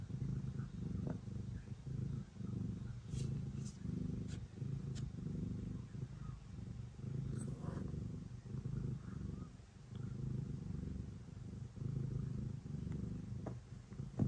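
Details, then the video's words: Before bedtime, the cat Ace purrs while kneading: a deep, throbbing rumble rising and falling in regular breaths about every second, with occasional light clicks and small handling sounds. "Cat kneading and purring before bedtime"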